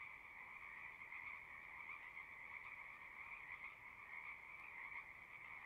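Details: Frogs singing together at a pond in a horse pasture, recorded on a Zoom recorder: a dense, steady trilling chorus with two bright bands of sound holding without pause for the whole stretch, no other sounds standing out.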